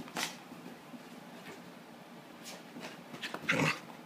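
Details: Shiksa, a female Canaan Dog, just after a flea bath: a low, steady grumbling rumble runs throughout, broken by scattered soft clicks and thumps, then a brief harmonic yelp near the end.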